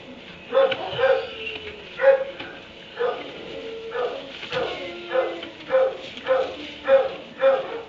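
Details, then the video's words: Dog confined in a kennel in a barn at 3 a.m., barking again and again: roughly ten short, hoarse barks in eight seconds at an uneven pace, with faint whiny tones between some barks; no other clear sounds. "Barn 3am barking dog in kennel"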